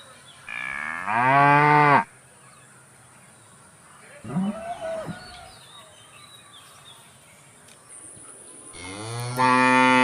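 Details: A cow gives two loud, deep moos with a softer, shorter call in between.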